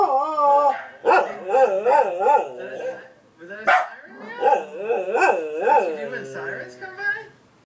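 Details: Domestic dog Mira answering a passing ambulance siren with short undulating howls that rise and fall in quick wavy arcs, with brief breaks between bursts.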